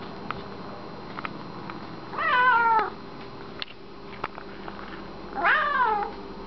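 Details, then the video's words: Reg, an extremely talkative pet cat, speaking his mind indoors with two long meows about three seconds apart; the second rises sharply then slides down, with soft clicks and taps in the quiet room. "Extremely talkative cat"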